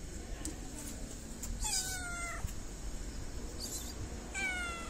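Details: Sweet fluffy stray cat in Morocco, petted around feeding time, lets out a long falling meow, then a second shorter meow near the end, over low street rumble.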